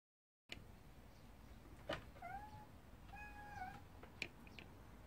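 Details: Cat giving two drawn-out, tonal meows, the second longer and level, at low volume in a quiet room, with a few faint clicks and taps around them.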